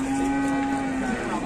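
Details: A cow at Setia Farm in Indonesia, said to resemble Wariso, leaving its pen: one brief, steady, low moo held evenly throughout, with faint background noise.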